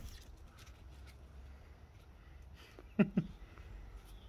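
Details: Bob, a blue two-year-old French Bulldog, chasing an intruding cat out of the garden: two short, gruff barks in quick succession near the end, after a quiet stretch with faint background rustling.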